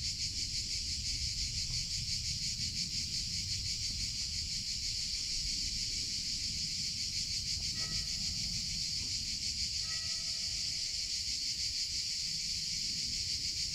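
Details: Cicadas singing in summer: a dense, unbroken high buzz with a fast shimmering pulse throughout, a low rumble underneath, and a few faint short whistled notes near the eighth and tenth seconds.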